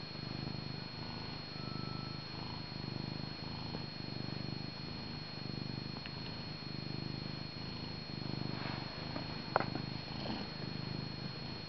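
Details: Domestic male cat purring up a storm while near its owner or on his lap, likened to an old motor: a steady, deep, pulsing rumble throughout, with a faint constant electrical hum in the background.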